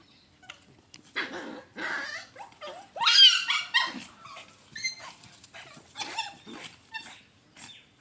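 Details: Mother dog playing with and teasing her puppies, stealing their ball, recorded in real life; loud puppy cries, whimpers and small growls in quick uneven bursts, some rising squeals, with short pauses between.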